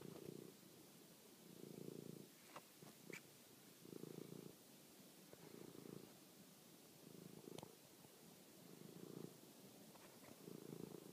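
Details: Toby, a domestic cat out at night chasing and finishing a mouse, recorded by phone; rhythmic low purring in regular bursts roughly every two seconds, with occasional faint ticks.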